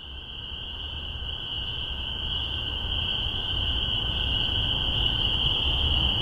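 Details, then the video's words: Spring peeper chorus in Massachusetts, spring 2015, captured with a spaced omni pair of MXL 603 microphones on a Tascam DR-40: a dense, steady high-pitched ringing from many frogs blending into one continuous shrill drone, slowly swelling louder. "Spring Peepers"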